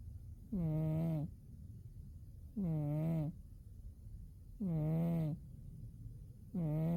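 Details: Sleeping through winter, Umi the cat gives four steady buzzy snores, each about 0.7 seconds long and spaced evenly about two seconds apart, with soft silence in between.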